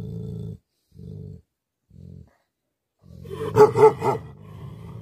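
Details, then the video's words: Angry Tibetan Mastiff, also called Bhote Kukur: three bursts of deep, throbbing growls separated by short silences, then a sudden loud cluster of harsh barks that fades into a low rumble. "Angry dogs barking effect sound ||Tibetan Mastiff || Bhote Kukur"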